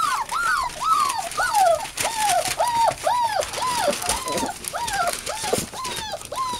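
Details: Indoors, American Bulldog and Siberian Husky puppies, eight in the litter, give a string of clear, arching whines, each rising then falling, repeated nearly twice a second with little background noise.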